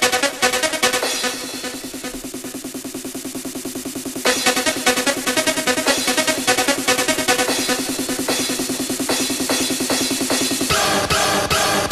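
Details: Electronic dance music with a fast, steady drum beat and dense synthesizer layers; no animal sound is heard.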